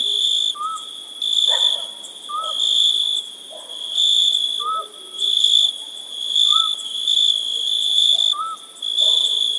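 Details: Summer-night crickets give high, ringing pulsed trills that rise and fall in rhythmic waves. Faint brief whistles, lower in pitch, repeat roughly every two seconds in the background.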